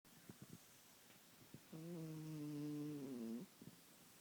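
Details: Sleeping kitten snoring indoors: one long, drawn-out, tonal snore lasting under two seconds, with a few soft clicks and breaths before and after in a quiet room.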